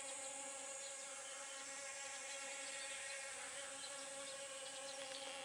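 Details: Honey bee visiting pumpkin blossoms to pollinate them, giving an unbroken, even hum with clear layered overtones and steady loudness, set against a continuous faint high-pitched hiss.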